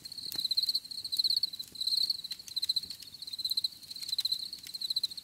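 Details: Cricket chirps come as regular high, pulsed bursts, roughly ninety a minute, each a quick ticking trill. Scattered soft clicks and faint low rustle sit underneath.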